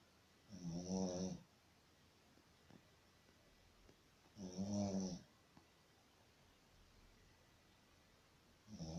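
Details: Snoring Shih Tzu while sleeping: two long grating snores about four seconds apart, another starting at the end, faint soft clicks and shuffles in the quiet pauses.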